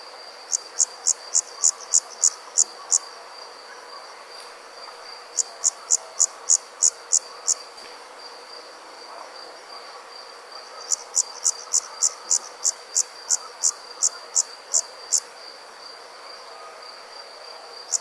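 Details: Crickets at night give repeated bursts of short, shrill chirps, around eight to ten per bout, with brief silences between bouts and a constant faint high tone beneath.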